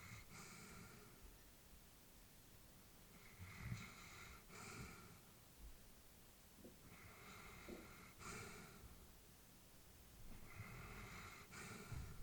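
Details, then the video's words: Elderly female Labrador Retriever sleeping peacefully indoors, breathing slowly with soft snorting breaths in pairs roughly every three to four seconds, airy hiss on each breath, quiet room background. "Elderly dog sleeping with breathing sounds"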